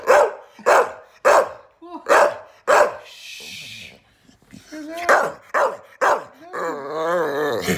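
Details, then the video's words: Female Staffordshire Bull Terrier x Rhodesian Ridgeback, indoors, vocalising to get attention and telling her owner off: a run of sharp barks about every half second, a pause with a person's voice, then more barks and a drawn-out wavering howl. "Singing dog wants attention but objects to being laughed at."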